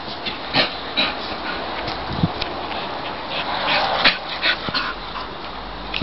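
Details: Excited pet English Bull Terrier Ruby, stirred up by a nearby Labrador, lets out thin piercing whines and yips at irregular intervals, some drawn out, with occasional knocks and shuffling.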